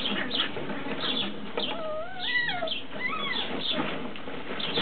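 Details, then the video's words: Tibetan Terrier puppies from Berlin/Brandenburg, Germany: two drawn-out whines, the first wavering then rising and falling over about a second, the second shorter and rising. Steady scuffling, rustling and short squeaks from the litter run throughout. "Tibet Terrier Welpen aus Berlin / Brandenburg"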